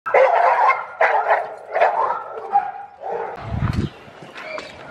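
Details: Pit bull barking while meeting another pit bull during a dog socialization session; a run of loud, harsh barks in quick succession, then quieter, scattered sounds with a low thump and a brief whine.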